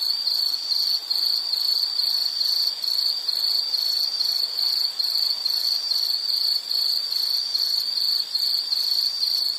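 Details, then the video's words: Shrill insect chirps repeated in quick, even pulses, about two to three per second, forming a steady ringing chorus over a quiet, hissy background. "Sound · Nature Sound of nature sounds scenery L · insect"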